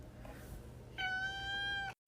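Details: Pet cat meowing once, a steady, drawn-out tonal call with clear even harmonics lasting about one second, after low room rumble and faint voices.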